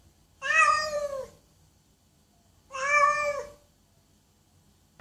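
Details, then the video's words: Two long, loud meows from a domestic cat, harmonic and slightly falling at the close, about two and a half seconds apart, with quiet between them. "Cats Meowing Loudly"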